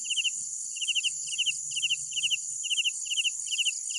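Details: Night crickets chirping: clear pulsed chirps of three to four quick notes, repeated about twice a second, over a steady high shrill insect chorus and faint low rumble.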